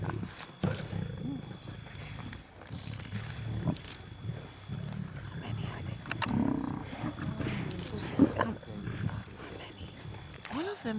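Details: Wild lion pride feeding at night in South Luangwa National Park, Zambia, in July, on safari: low rumbling growls and snarls rise and fall through the clip, with occasional sharp bursts and quiet human voices nearby.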